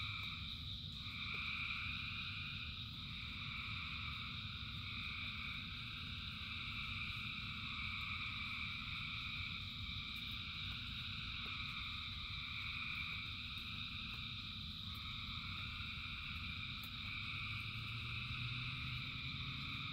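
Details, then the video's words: Thousands of frogs singing in rain: a dense, unbroken chorus of layered trilling and droning tones that holds steady throughout, over a constant low rumble of falling rain. "Frogs in Rain 2 Hours of Frogs, Thousands of Frogs Singing"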